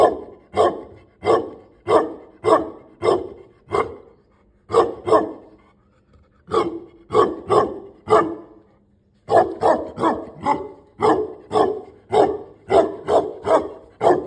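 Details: Tibetan Mastiff giving deep, harsh barks in steady series of roughly two per second. Runs of five or six barks break off for short pauses, then start again. The room sounds small and enclosed.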